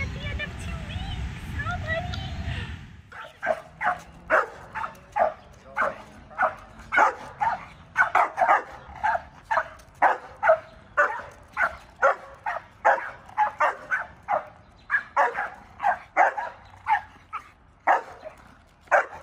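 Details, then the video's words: German Shepherd named Zeke, a dog with aggression toward people and other dogs, filmed before two weeks of training; after a loud opening burst of noise, sharp barks repeat rapidly and steadily, roughly two per second. "German Shepherd "Zeke" | Dog Aggression"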